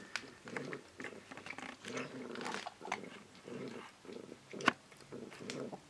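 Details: Foster cat over twenty years old purring while feeding indoors: pulsing low rumbles in regular bursts, interrupted by crunchy chewing and biting clicks, with one sharp knock near the end.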